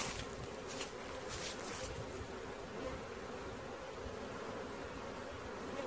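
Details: Honey bees swarming as they are caught, their massed hum steady and low, with a brief hissy rustle in the first two seconds over the buzzing.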